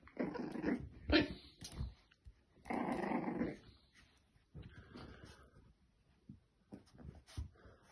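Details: French Bulldog puppy, female, playing in front of a mirror as she sees her own reflection for the first time indoors. Rough rumbling growls, one sharp bark-like burst, then softer grunts and snorts trailing off.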